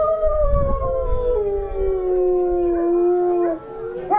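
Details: Wolf howling, one long tonal wavering howl that slides gently downward with overlapping voices and clear harmonics, sustained for about three and a half seconds before breaking off, with low rumbling background noise.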